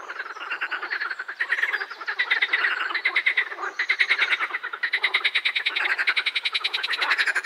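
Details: Loud close edible frog croaking, long runs of fast, evenly pulsed rattling notes, several frogs overlapping almost without pause.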